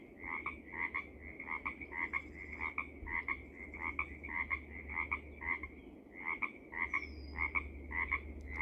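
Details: Pacific tree frog in Seaside, Oregon, out of sight in thick plants, croaking a long run of paired 'rib-bit' notes about twice a second, some sounding like 'rabbit', over low background hum.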